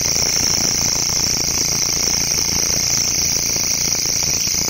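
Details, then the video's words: Grasshopper in a local forest giving an unbroken, sizzling high-pitched drone, even in loudness throughout this short stretch, over a faint lower buzzing band and light background hiss. "Sound Of Grasshopper"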